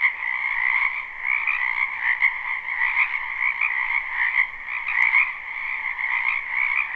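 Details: Frogs of a springtime wetland behind a house, live and unlooped: a dense, ceaseless chorus of high trilling and lower croaking bands, steady in volume with mild surges and one brief click.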